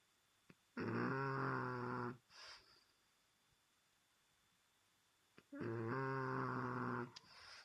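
A French Bulldog snores loudly, each long rattling breath followed by a softer wheezy exhale.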